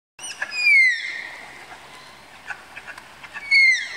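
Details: Malayan tapirs during pairing at the tapir house of Tama Zoological Park: two high, whistled squeals sliding downward with bright overtones, one at the start and one at the end, with faint clicks between.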